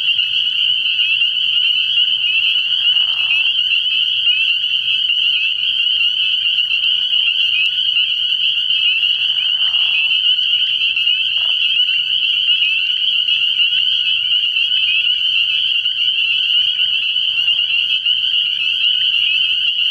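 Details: Night at a frog pond early in the year: a thick chorus of spring peepers sustains a shrill, continuous high peeping, punctuated by several brief lower raspy calls around three, ten, eleven and seventeen seconds.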